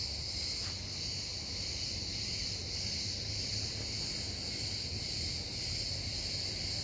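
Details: Cicada giving a continuous, steady high-pitched buzzing drone with no breaks. A faint low rumble sits underneath throughout.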